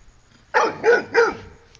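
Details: A pet dog named Mario, frightened at meeting a buffalo on a morning walk, gives three quick, loud barks in a row over otherwise quiet surroundings.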